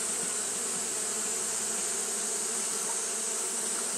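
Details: Japanese honey bees fanning in hot weather: an unbroken, even buzzing drone, slightly wavering, with a steady sharp hiss high above and no pauses.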